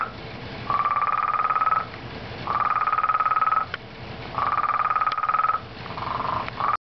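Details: Very loud frog at a pond giving pulsed, buzzy trills about a second long, repeated roughly every one and a half to two seconds, each with a steady tone that rises slightly, over a quiet background.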